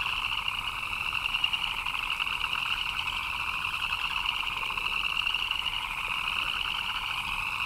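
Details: Chirping frogs in rainy conditions make a steady, dense trill that never stops, its higher tone gently rising and falling over a lower pulsing layer, light hiss behind.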